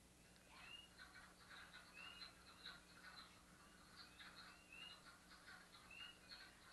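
Wood frogs chorus in low, clucking, duck-like quacks, with spring peepers' high rising peeps cutting through.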